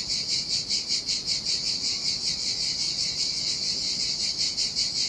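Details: Chorus of cicadas in the heat by the Sardinian sea at a deserted beach, a shrill continuous buzz throbbing in regular pulses roughly every 0.4 seconds, with faint low background rumble.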